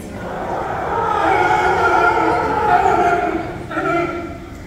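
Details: California sea lions at an aquarium show call together in hoarse, harmonic, drawn-out honks that overlap into a rough chorus; each sea lion has its own unique voice, which mothers and pups use to find each other.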